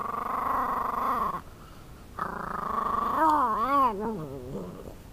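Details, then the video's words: Food-guarding male Shiba Inu eating a pork bone growls steadily; two long, level, tonal growls separated by a brief pause, then a wavering, up-and-down moaning growl in quick repeated swoops before fading. "Shiba Inu Cooper Growls "I am not sharing!""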